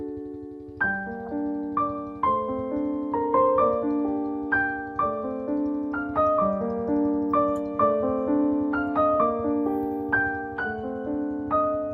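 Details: Gentle piano music with overlapping chords and sustained notes plays throughout, with no animal sounds.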